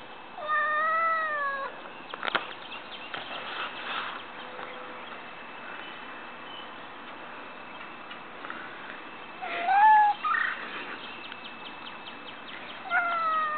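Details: Lil Pat the house cat calls after spotting birds and squirrels across the street, eager to play. Drawn-out meows sound at the start, at about ten seconds and at the end, separated by a long quiet stretch of faint hum and taps.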